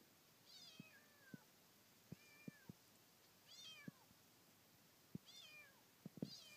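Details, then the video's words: Kitten met during a trip around Teshima island, giving repeated high meows that slide downward, several in a row, with sharp clicking taps and faint outdoor background. "子猫 鳴き声"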